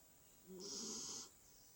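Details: Chici, a pet dog taking an afternoon nap, gives a single soft, breathy snore lasting under a second, a hissing rush of air over a quiet background.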